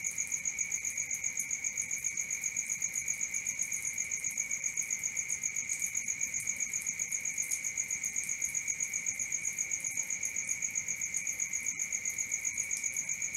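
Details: A nocturnal cricket chirp runs on unbroken: piercing high tones pulsing steadily about four times a second, with a couple of faint clicks late in the stretch.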